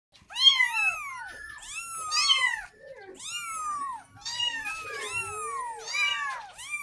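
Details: A kitten calls for its mother, asking for milk, with repeated high, arching meows. Clusters of two or three rising-then-falling cries come close together, separated by brief pauses, in a quiet setting.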